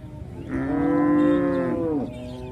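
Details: A cow gives one long, steady moo of about one and a half seconds. It is a rich, harmonic tone that stays level and then drops slightly at the end, with a low background murmur.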